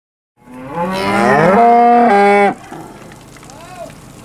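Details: Steers at a cattle auction sale on 8 August 2013, from Wicksburg, Alabama: one loud moo that swells and rises, then holds a steady tone for about a second before cutting off, followed by quieter background noise and a faint short call.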